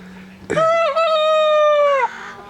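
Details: Nigerian Dwarf goat at breeding time in the herd: a single loud, long bleat of about a second and a half, nasal and steady with a brief waver near the start, dropping slightly before it cuts off, over a faint low hum.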